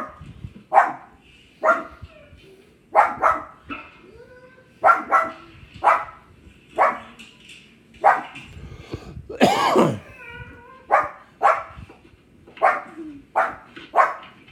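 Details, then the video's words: Pug named Thor indoors, barking at other dogs barking on the TV: sharp, loud barks in irregular bursts of one to three, about fifteen over the span, with one longer, drawn-out yelping bark midway and a quiet room behind. "My pug Thor barking"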